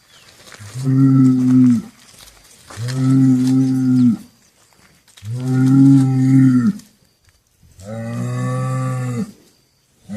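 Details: Cattle bellow in long, deep, harmonic moos, repeated four times with short pauses.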